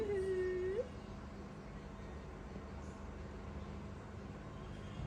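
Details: Baby monkey throwing a tantrum as its mother leaves: one drawn-out whimpering wail, level and slightly falling, then sliding upward at the end, followed by quiet indoor background hum.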